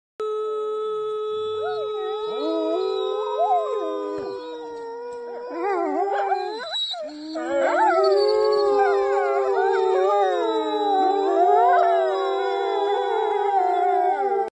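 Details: Gray wolves (Canis lupus) in a pack at Norway's Polar Park howl together with a woman howling alongside them. Long sustained tones slide and waver into an overlapping chorus.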